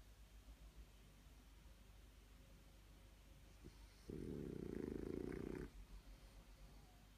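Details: A blue French Bulldog, startled from a nap when another dog jumps into a hedge, gives a single harsh, buzzy snort-grumble, a rapid rattle of pulses lasting over a second, with only low room rumble around it.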